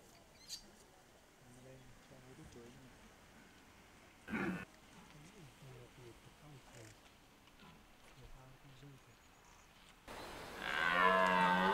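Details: Red deer stag roaring during the rut in Hoge Veluwe park, 2023; quiet talking and rustling fill most of the recording before one loud, drawn-out harmonic roar near the end.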